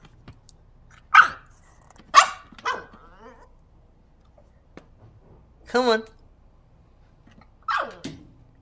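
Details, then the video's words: Maverick, a West Highland White Terrier stuck on a ledge, crying for help: short, sharp, high whining yelps with falling pitch, about five cries spaced one to three seconds apart, otherwise quiet surroundings. "Westie cries for help!"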